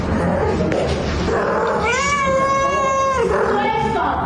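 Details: Pet cat giving a long, level, tonal meow lasting about a second, with a shorter meow following it, against constant background noise.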